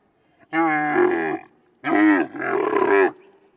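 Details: A camel in the desert gives three deep, throaty bellows. The first is long, then two follow close together, each rough and moaning with a slightly wavering pitch.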